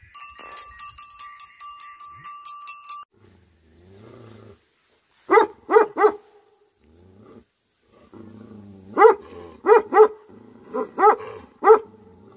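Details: Angry Tibetan Mastiff, known locally as Bhote Kukur. A brief tonal, chiming sound opens the recording. Deep, harmonic barks follow: a burst of three, then two quick sets of three after a short pause.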